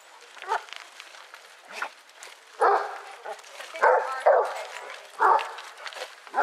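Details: Basset Hounds, eighteen of them walking round Belwade Farm at Dess, Aboyne, Scotland, on 10 August 2014, give loud, deep barks in about five separate bursts over six seconds, with murmuring human voices in the background.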